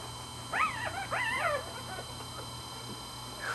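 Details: Day-old Pembroke Welsh Corgi puppies, born the night before, with their mother, seven in the litter, recorded August 14, 2008; a quick burst of several wavering, squeaky whimpers early on, then quiet fainter squeaks and a steady background hum.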